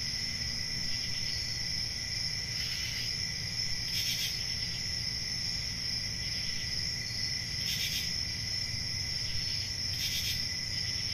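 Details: A country summer night chorus of crickets near a forest, an unbroken high trill joined by four short, louder rasping bursts spaced a few seconds apart, over a dull low rumble.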